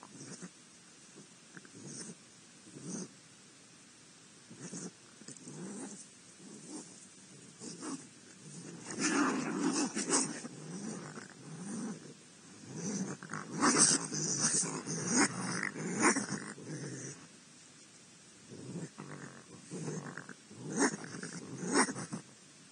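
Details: Raccoons fighting at a feeder in Akron, Ohio, giving harsh barks, growls and snarls in a noisy scuffle.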